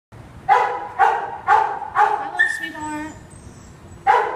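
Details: A scared poodle at NRHS in May 2015, giving four short, sharp yelping barks about half a second apart, then a brief high whine, and one more bark near the end.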